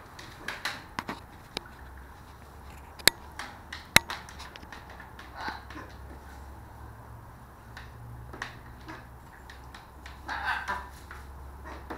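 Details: Scattered sharp clicks and taps with soft splashy rustling over a low steady hum; no animal call stands out.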